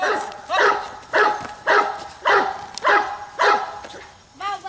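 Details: Regular series of about seven hearty barks from the Giant Schnauzer Bayuma (Blackmoore Radinie), spaced just over half a second apart, with a fainter eighth bark at the end.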